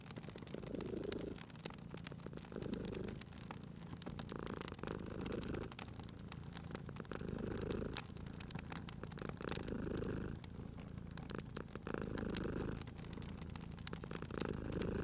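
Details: Domestic cat asleep beside a crackling fire, purring in soft rumbling waves about every two and a half seconds, inhale and exhale phases audible, with frequent sharp wood crackles overlaid.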